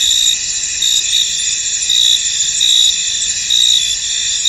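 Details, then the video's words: Cricket chorus in a mist-shrouded field, shrill and continuous, punctuated by short trilled chirps recurring slightly faster than once a second. "Tranquil Cricket Sounds In An Misty Field"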